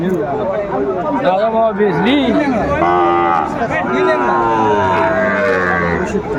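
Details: Sahiwal bull calves at a busy Chittagong, Bangladesh market on 14 January 2025 give a long, wavering lowing call midway, with a fainter moo after it. Men bargain loudly over prices throughout.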